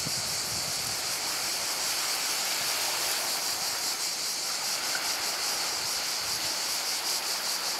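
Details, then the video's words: Cicadas by the sea at Portonovo: a dense, unbroken high-pitched buzzing hiss with faint rhythmic pulsing, over the steady wash of surf. "solo cicale e mare a Portonovo"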